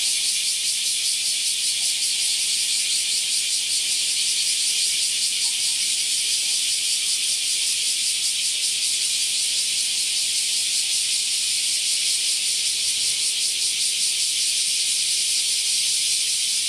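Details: A large brown cicada gives a steady, sizzling drone like oil frying in a hot pan, recorded around 09:24–09:39 on 14 July 2022; Large brown cicada.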